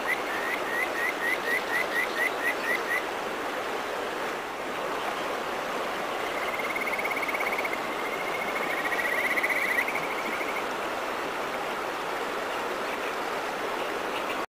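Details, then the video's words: A Kajika frog in a rural mountain area gives a quick run of clear, chirping notes, then a long, sweet, warbling trill over rushing water. "カエル…美声の主、カジカガエル"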